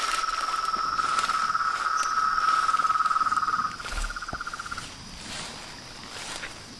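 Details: Toads, frogs and tree frogs: a rapid, steady pulsing trill holds for several seconds then stops, leaving soft background hiss and a single low knock.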